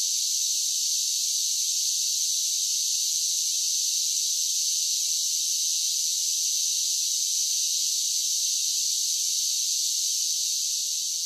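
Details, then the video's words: Cicadas in summer keep up an unvarying, sizzling high drone, steady in volume from start to finish, with no birds, wind or voices. "10 Hours of Cicada Sounds for Relaxation with Soothing Summer Nature Sounds"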